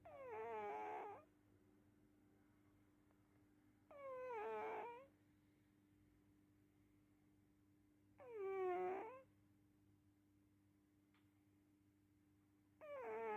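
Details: A sleeping cat snoring: squeaky, whining snores of about one second each, wavering in pitch, returning roughly every four seconds against a quiet background with a steady low hum.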